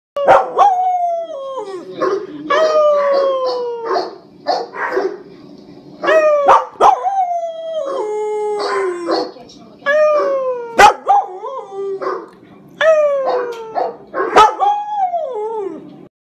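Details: Pet dog howling: a series of long, rich, harmonic howls that start high and glide downward, each lasting one to two seconds, repeated over and over with short breaks and a few sharp clicks between them.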